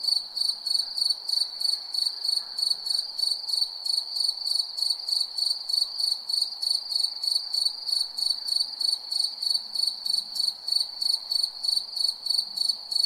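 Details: Night-time cricket chorus of bright, high trilled chirps, repeated steadily around three times each second, a thin overtone riding above, with soft ambient hiss beneath.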